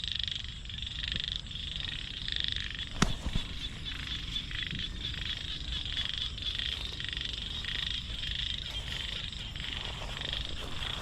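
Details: Several frogs, gathered by people as fish food, keep up an unbroken high rattling trill that pulses rapidly for eleven seconds; a single sharp knock sounds near the third second over faint low rumbling.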